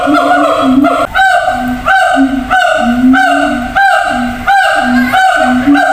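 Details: A siamang at a zoo gives loud, nasal hoots in a quick series, calling to other gibbons kept in a different cage some distance away.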